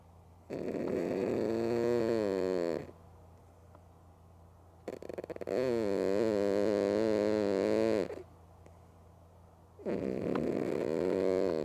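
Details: Mookie, a female pet cat sleeping with her eyes open, snores loudly: three long harmonic rasping breaths of about two to three seconds each, separated by quiet pauses.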